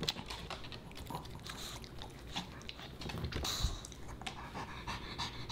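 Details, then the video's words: Boba Bear the Pomeranian puppy munching dog-friendly potato chips and fish: dense crunching and chomping interleaved with rapid panting, plus one louder sharp click midway, recorded in a small indoor space. "Puppy Dog Eats Fish N' Chips"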